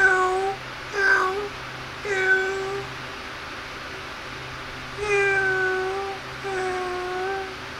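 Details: Kittens at play and feeding utter a run of six drawn-out, clear mews, some rising then holding level, coming in quick succession over a faint low hum.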